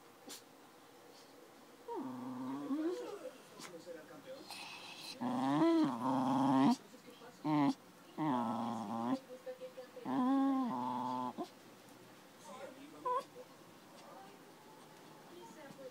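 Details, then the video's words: Dory, a 13-year-old schnauzer, snarling at five-month-old puppy Cora, an Akita-Labrador mix; bursts of rough, wavering growls rise and fall in clusters over a faint background with some human voice. "Dory angry for no reason with Cora"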